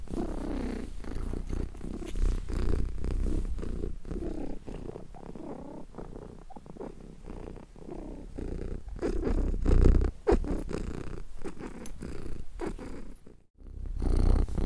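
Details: A contented domestic cat purrs steadily, a low rumbling throb pulsing in and out with each breath.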